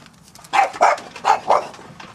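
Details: Five-week-old French Bulldog puppies playing and having fun outside. Four short, sharp yips come in quick succession over about one second, with a brief quiet gap between the second and third, then quiet background.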